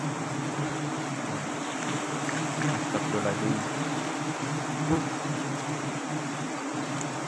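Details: Giant honey bees (Apis dorsata) buzzing during a honey harvest from a nest on a small tree, 10 March 2021: a dense, steady low drone with humming bands, no pauses throughout, under occasional voices.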